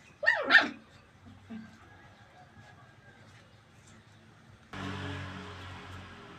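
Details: Puppies playing, running and jumping in a tight area: two high, sharp yapping barks in quick succession at the start, a faint short yip a second later, then a sudden burst of broadband rustling noise.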